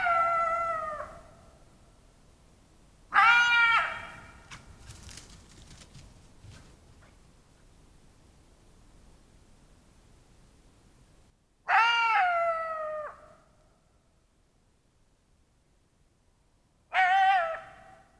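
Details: Jackal howling in July 2023 at an open-air museum in Tallinn, Estonia, after being attacked by a lynx; loud wavering howls with stacked harmonics, each about a second long, four bursts separated by quiet gaps.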